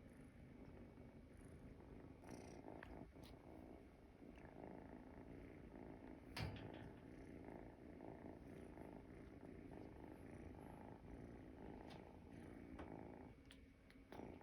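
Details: Munchkin kitten, a calico, sleeping indoors; steady low rumbling purr-like snoring runs continuously through the recording, with a faint constant high hiss and a few soft clicks and rustles.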